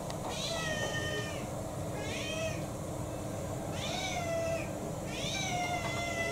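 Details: Four insistent, harmonic meows about a second apart come from Kou-chan, a roughly six-year-old domestic cat refusing his dinner in December 2022. Each cry bends up and then down, over a steady low indoor hum.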